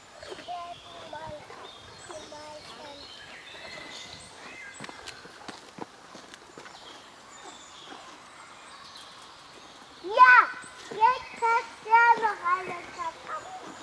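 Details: Red deer fawn being suckled: after quiet rustling and faint bird calls, a run of four or five loud, nasal, tonal bleats rises and falls in quick succession near the end.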